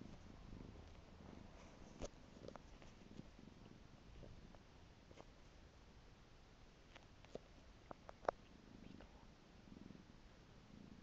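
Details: Low, throbbing purring from Piko the pet cat comes in soft pulses, with scattered sharp clicks and small rustles standing out above the steady hum.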